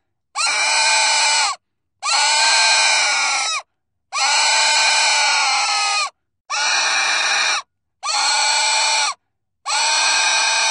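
A pig screams in a run of six piercing, rasping squeals, each drawn out for a second or two. Brief silent gaps separate the cries, and no other sounds intrude.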